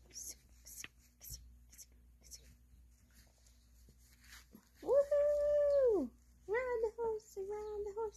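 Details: Capuchin monkey named King Louie, indoors while eating a tomato: soft clicking and smacking sounds at first, then a drawn-out, arching whine lasting about a second, followed by two shorter, slightly lower whines in a quiet small room.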